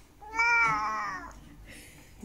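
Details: Korat cat, a Thai-born cat about 15 years old now living in England, meowing as if calling for its owners. One drawn-out, harmonic meow of about a second that falls slightly at the end, then a faint higher sound, indoors.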